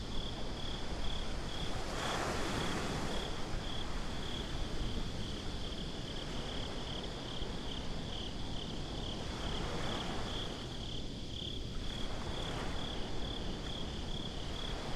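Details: Binaural night ambience at a beach: crickets chirp in a fast, regular high pulse throughout, with soft swells of waves and a low rumble underneath.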